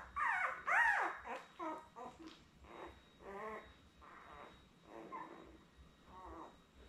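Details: Litter of seven newborn Labrador Retriever puppies with mother Belle, indoors on a live puppy cam, born May 24, 2021; loud rising-falling whiny squeals open, then repeated softer harmonic whimpers about twice a second over a faint hum.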